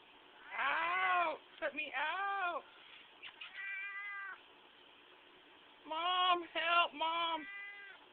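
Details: Qitah the cat crying out when squeezed: a burst of loud, wavering, arched meows, some broken into short stuttering pieces, in two clusters with a quiet gap between, while people talk nearby.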